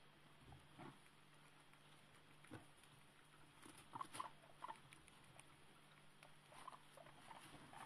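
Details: One-day-old newborn guinea pigs, somewhat frightened, utter a quick pair of faint high chirps midway, amid soft patter and shuffling with a faint background hum.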